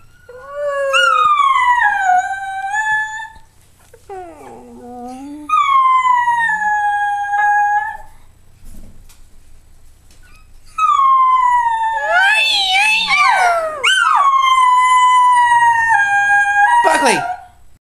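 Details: Buckley the schnauzer, a dog that enjoys singing, gives a run of howls: long downward-sliding wails separated by pauses, then a wavering, cracking stretch of quick pitch swoops, ending in a steady held note that drops sharply away.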